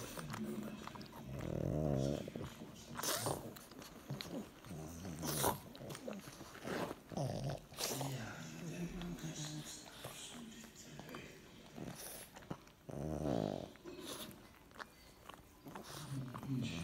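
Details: Pug being affectionate with his little brother indoors: snorting grunts and soft growly snuffles in short bursts, broken by sharp knocks and rustling, with people talking quietly in the background.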